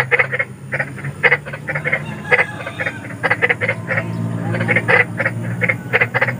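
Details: Big frogs calling at night, described as eerie and used as sleep therapy: short harsh croaks in quick bursts, several callers overlapping, with a low hum underneath.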